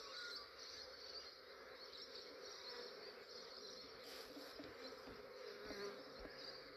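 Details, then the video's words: Australian beekeeper capturing a huge honey bee swarm early in the morning: continuous thick buzzing drone, even in loudness throughout, with a bright high-pitched hiss layered over it and faint handling noises near the end. "Capturing a massive bee swarm"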